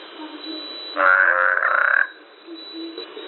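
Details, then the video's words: Frog croaking for about one second: a single harsh, droning call with a steady buzzy tone, heard in a narrow, muffled band with faint background hiss before and after. "the sound of frog,квакание и звуки лягушки"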